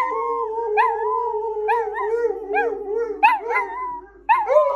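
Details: Several pet dogs howl in a steady, wavering chorus of sustained tones, punctuated by quick rising yips, with a brief pause before the howling resumes.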